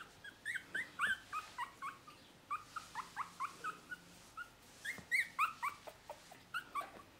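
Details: Male dog from litter P, recorded 12 May 2018: rapid high-pitched squeals and whimpers, about four per second, many sliding up then down, continuing unbroken through the recording.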